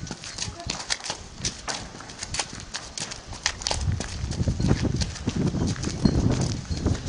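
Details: Arradoul Aria, a four-year-old Clydesdale mare ridden under saddle in the school, 22 days into training. Dull, thudding hoofbeats in an uneven rhythm, with scattered sharper knocks and some background rustle.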